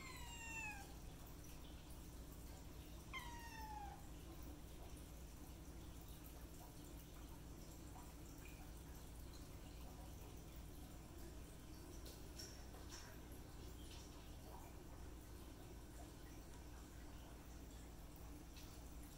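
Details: Kittens meowing: two high, sliding-down meows with bright overtones come in the first four seconds, the second a little longer. After that only a steady low hum and faint dripping remain.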